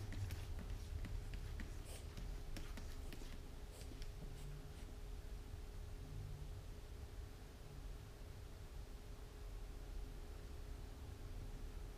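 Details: Quiet room with a steady electrical hum, soft rustles and a few faint clicks early on, and no animal calls.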